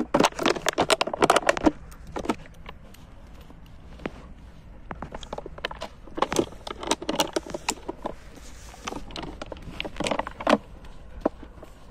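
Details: Bursts of crackling, rustling and jangling handling noise come and go over a low outdoor background, with no barking or other animal voice.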